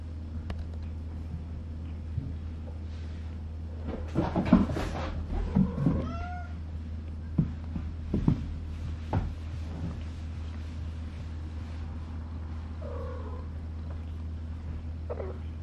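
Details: A 140-day-old female brown-and-white Maine Coon kitten gives short, bending meows and chirps over a steady low hum.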